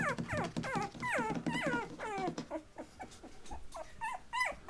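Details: Several Patterdale Terrier puppies at 20 days old, playing and tussling, give a string of high, falling whimpering yelps in quick succession, softening into shorter squeaks with low grumbling underneath.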